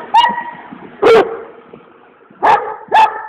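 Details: Komondor dog giving four loud, sharp barks, two spaced about a second apart, then a pause and a quick pair close together.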